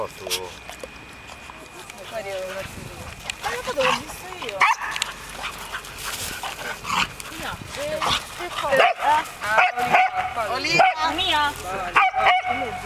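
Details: Several puppies playing in a park, giving high yips, squeaky whines and short barks in irregular bursts, some rising and falling, with people talking throughout.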